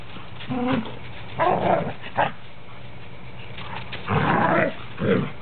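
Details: Standard poodles at play, three dogs together; a few short rough growling bursts with a brief yelp, separated by quiet pauses, one deep gruff growl near the end.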